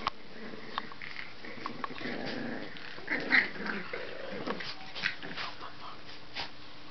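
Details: Boston Terrier puppies at play, giving low rumbling growls in short bursts around the second and fourth seconds, with scattered thumps and small clicks, and some faint human voices in the background.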